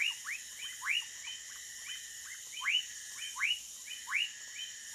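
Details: Several woodcock frogs (Leptodactylus fuscus) at night in the Amazon jungle near Manaus, Brazil, give short, downslurred whistled notes, overlapping irregularly once or twice a second over a steady high insect drone.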